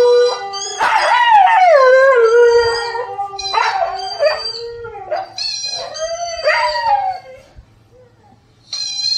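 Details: Four-month-old Siberian Husky puppy howling indoors in reaction to a dog howling on TV; long sliding howls that fall in pitch, followed by shorter yodelling howl phrases, then a pause and a new howl starting.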